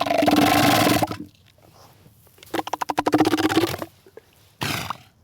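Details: Elephant seal giving deep, harsh roaring calls: a long rasping bellow, then a burst of rapid throaty pulses, then a shorter final roar.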